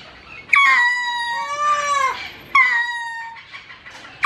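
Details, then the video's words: A lemur at a zoo in León, Guanajuato, gives loud, mournful, lament-like wails that start high, drop sharply, then hold steady. "LÉMUR Y SU SONIDO. ZOOLÓGICO DE LEÓN, GTO."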